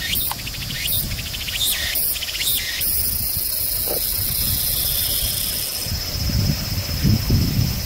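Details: A Walker's cicada (Tsukutsukuboshi) sings in rhythmic, buzzy pulses over a steady high insect drone and low rumble at Juunichougata Suigou Park, Japan, on 29 August 2018.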